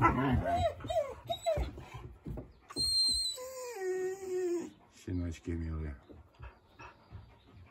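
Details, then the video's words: East European Shepherd puppies barking at a husky: high yelps and squeals, a long wavering whine, then a pair of short sharp barks, with a woman talking over them. "Щенки лают на хаски"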